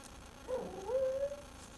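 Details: Indoor pet dog wanting a bone that another dog was chewing; a short nasal whine, a brief wavering note followed by a steadier, slightly rising tone lasting under a second, over low room hum.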